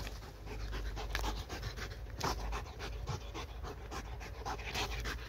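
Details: Dog pants hard and fast, having failed to catch the laser dot. Rhythmic airy gasps come several times a second, with a deep background rumble beneath.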